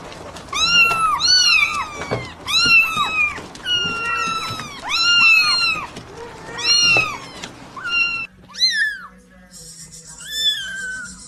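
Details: Several newborn domestic kittens mewing at once, overlapping high arched cries in quick succession, then a few sharper, thinner single mews near the end, over faint low hum.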